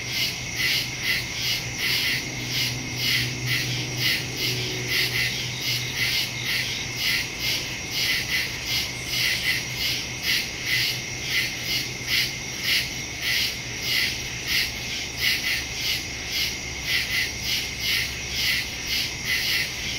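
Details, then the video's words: Nighttime woodland crickets recorded on September 2, 2023, using a Samsung Galaxy S22 Ultra and Shure MV88+ stereo mic; dense, rapid high chirping pulses continue throughout, with a faint low hum in the first seconds. "Crickets in the woods at night"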